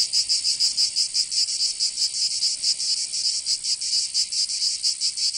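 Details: In Provence in the south of France, summer cicadas keep up a loud, high buzzing, its throbbing beat slightly uneven and wavering in strength.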